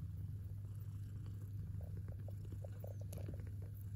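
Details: Kitten purring with pleasure while eating: a deep, steady rumbling drone runs throughout, overlaid by soft, irregular clicking and smacking sounds of chewing in a small indoor space.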